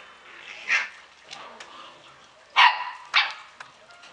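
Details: Samoyed puppies at the Klbko radosti kennel in Slovakia give a few short, high yips with long gaps between them, two louder ones close together near the end, over a quiet background.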